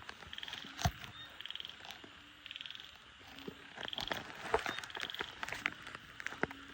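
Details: Night chorus of frogs after heavy rain during frog catching: brief high pulsed trills recur every second or so, alongside a low droning tone, loud knocks and rustling from nearby movement.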